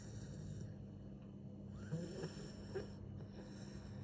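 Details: A sleeping dog snores like a pig in low, rough, rumbling breaths over a steady background hum.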